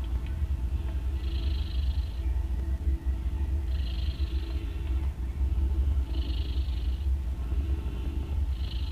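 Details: Mother cat snoring loudly while nursing three kittens born the day before, two orange and one grey, as they drink milk. A steady low rumble runs throughout, with a breathy hiss recurring about every two and a half seconds.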